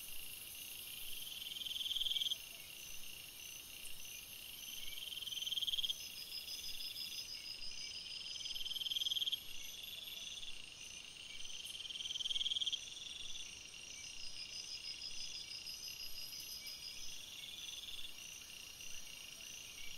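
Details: Crickets at night in a forest: a constant high, ringing insect chorus, broken by short bursts of trilled chirps that return about every three and a half seconds.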